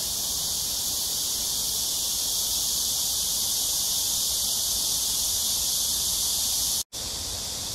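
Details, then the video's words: Cicadas calling in hot weather at AMSA Ecological Park along the Han River in Seoul, South Korea, early evening of 26 July 2021; an intense, even, high-pitched sizzling drone runs on unchanged apart from one brief dropout near the end. "Cicada sounds/매미소리"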